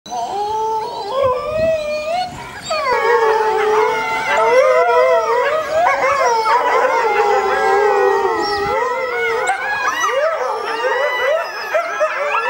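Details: Captive family of critically endangered red wolves at the Tallahassee Museum, ten-month-old puppies (three males, one female) with both parents, howling in response to a far-off ambulance; overlapping wavering howls rise and fall continuously, building into a dense chorus.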